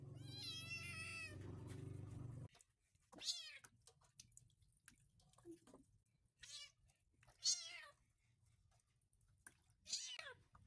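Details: ['Rescued white kitten Snow meowing at bath time: a long, wavering, high-pitched cry over low rumbling noise, then four short, arching meows spaced a few seconds apart.']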